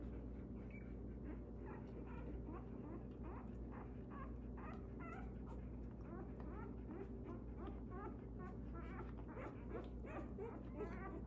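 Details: Belgian Malinois puppies, Gunny & the Little Guns, whine and yip almost without pause, many short high squeaks overlapping from several pups, with a low steady hum underneath.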